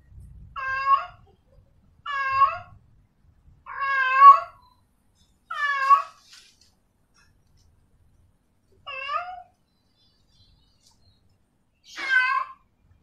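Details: Female cat in heat calling for a male: six drawn-out, nasal meows, each bending up then down, roughly every two seconds with quiet gaps, a faint low thump at the start.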